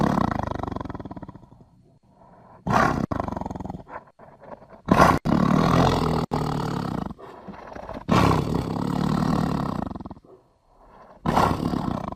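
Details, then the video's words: Tiger producing a string of heavy growling roars in bursts of one to two seconds separated by short gaps, some abrupt cuts between them, rough broadband tone throughout. "The sounds of one of the most popular animals in the world and the biggest cat - the mighty tiger!"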